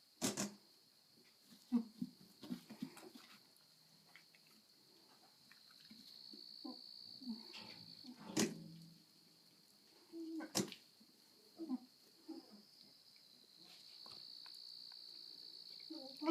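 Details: A pet goat, recorded by its owner while it tried to mount a person, makes short, low, rough grunting bursts at irregular intervals, with a few sharp knocks between them and a steady high insect-like whine throughout.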